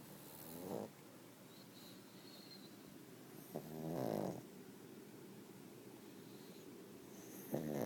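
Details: Pug asleep, giving harsh rattling snores, three drawn breaths spaced about three to four seconds apart, the middle one longest and loudest, over a quiet room background.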